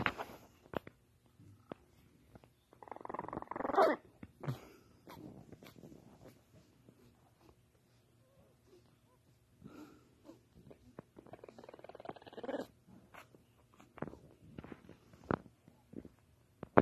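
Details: Tiny female French Bulldog puppy, eyes only just open, trying her first growls and barks: two rough, raspy growling bursts separated by quiet stretches of faint snuffling and small clicking movements.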